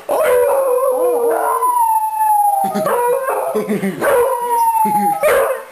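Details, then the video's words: Beagles at home howling as their owner comes in, mother and two offspring together; overlapping long mournful notes sliding slowly downward, mixed with short wavering yelps, in a continuous loud chorus. "Beagles Howling Choir"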